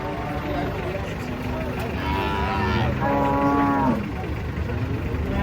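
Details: Big cattle unloaded from a truck: one drawn-out moo of about a second near the middle, steady and harmonic, over engine rumble and background noise.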